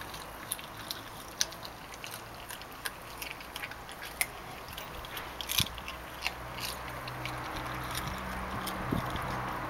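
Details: Labrador retriever puppy Elsa, aged 9 weeks, chews sardines. Crisp, uneven crunching and biting clicks come in quick bursts, about one or two a second, with some louder snaps, over a quiet indoor background.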